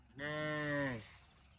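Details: Cow mooing: a single steady harmonic moo of about 0.8 seconds, level then dropping slightly at the end, over a quiet background.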